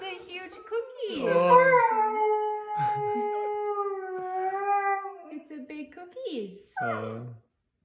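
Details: Dog howling indoors: one long, steady, harmonic howl held for several seconds, with a woman's voice speaking before and after and a brief second vocal burst near the end.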